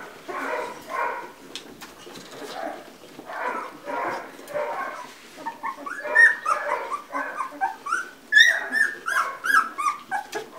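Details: Two-week-old Labrador Retriever puppies from one litter, heard after a stretch of talking, break into a run of high, squeaky whines and squeals, short rising and falling cries repeated quickly and overlapping in the second half.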